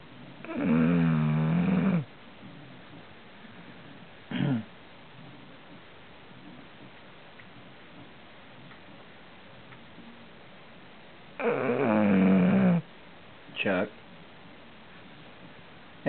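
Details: Indoor dog snoring: two long, deep, grating snores about ten seconds apart, each followed a couple of seconds later by a brief short snort, with quiet room noise in between.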